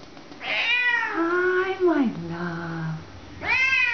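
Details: Domestic cat meowing while being greeted indoors: a long wavering meow that bends downward, followed by another rising meow, with a person's soft, low voice answering between calls.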